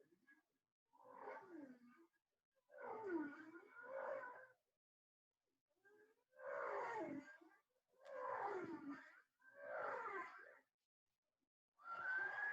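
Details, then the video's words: Bowhead whale song, which changes with the seasons: moaning, warbling phrases that sweep down and up, repeated with short pauses. "as our final special treat let's listen to some of those bowhead whale songs"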